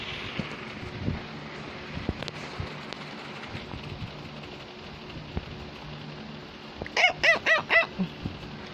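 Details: A female Cavalier King Charles Spaniel barks to get her owner's attention. After a quiet stretch with faint room noise, a quick run of four sharp, high, yappy barks comes near the end.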